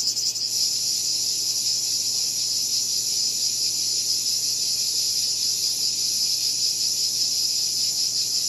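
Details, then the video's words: Steady, intense buzzing of cicadas, a shrill unbroken drone with a fine rapid pulsing texture throughout and nothing else audible. "Cicada Called || ឪរៃអើយរៃយំ"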